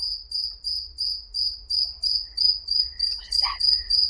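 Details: Nocturnal cricket, whose chirping is heard all night long when it is very quiet and people are asleep; high, thin, steady chirps repeat about three times a second, with a brief clatter near the end.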